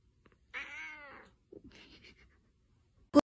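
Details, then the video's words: House cat with a single loud, bright meow that bends downward, followed by a softer broken murmur and a sharp click at the end; a Korean speaker's voice is close by. "cat voice || meow"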